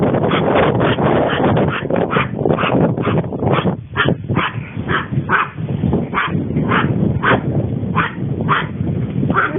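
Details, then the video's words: Female Long Coat Chihuahua born in 2010, filmed at home in everyday life, gives a run of short high whining cries, about two per second with brief pauses, over a steady low rumbling background. "ロングコートチワワの鳴き声集 キュンキュン可愛い鳴き声から唸り声まで♪ Long coat chihuahua cry"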